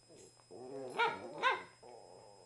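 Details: Two Cavalier King Charles Spaniels at gentle play: Oliver, a 2-year-old black and tan male, and Suzie, a 1-year-old tricolour female. Whiny, grumbling harmonic play noises rise into two louder yelping peaks about half a second apart, then a softer whine.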